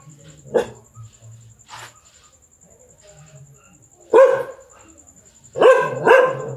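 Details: Domestic dog barking at a large black stray cat looking to mate; quiet scattered sounds at first, then three abrupt barks near the end, the last two close together, over a thin constant high-pitched tone.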